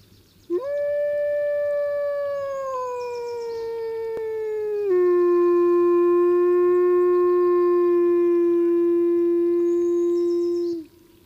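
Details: A single gray wolf in Glacier Bay gives one long, smooth howl that slides slowly down, then drops abruptly to a lower steady note.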